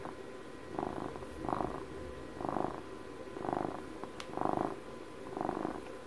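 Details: Twelve-year-old domestic cat purring close to the microphone on its birthday: grainy vibrating rumble in six rhythmic swells about one per second, plus a single faint click partway through.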